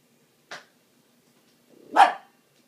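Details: Dog barking at a dishwasher: a short soft yip followed by a louder bark that rises from a low growling onset, in a quiet room.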